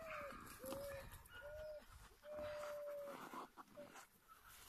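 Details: Husky farm near Rovaniemi in Finnish Lapland: Siberian huskies hold long, level, fairly low howls in a repeated series, each one or two seconds long, against a faint hissing background.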